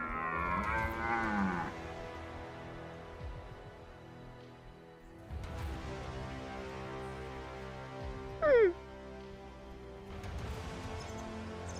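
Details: A rutting red deer stag in Argentina gives a deep, harmonic roar that drags downward at the end, over background music; hunters follow the stag through open country after spotting him watering at a dam.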